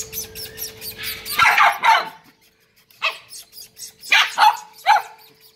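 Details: Corgi puppies in Indore let out quick, shrill, high-pitched barks and yelps in short bursts, single or paired, about a second apart, over a faint steady hum and rustling at the start.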